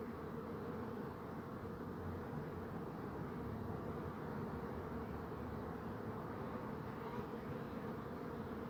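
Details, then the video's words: Continuous low hum of honey bees, dense and unbroken, over a rumbling background. "Bee Buzzing Sound"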